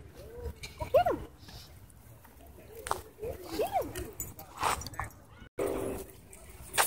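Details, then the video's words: A wolfdog at a dog park, threatening a man, gives two short arched, wavering howl-like vocalizations about three seconds apart, amid people talking and other park noise. "Racist Wolf Dog Threatens Man At Dog Park"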